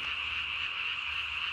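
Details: Japanese tree frog calling after dark on 3 May 2020, vocal sac under the jaw ballooned to nearly body size; a steady, piercing trill continues without pause.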